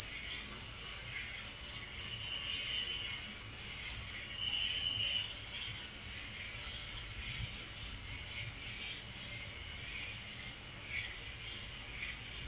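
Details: Crickets chirping after dark: an unbroken thin, high shrilling with fast regular pulsing, plus a few softer lower trills around the first five seconds.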